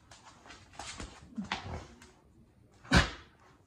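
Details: Miniature Australian Shepherd playing tug of war with a new birthday toy: short muffled low grunts and a whine, then one sharp loud vocal burst near the end, with rustling in between.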